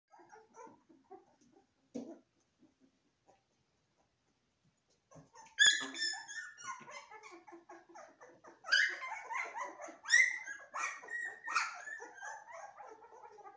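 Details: Golden retriever puppies, several together; a few soft scattered squeaks at first, then from about six seconds a dense overlapping chorus of high, thin whines, yelps and squeals with rising and falling pitch.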